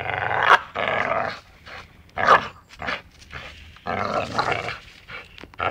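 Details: Playful dachshund biting and growling, uneven bursts of gravelly, harmonic growl broken by short snarling peaks and pauses.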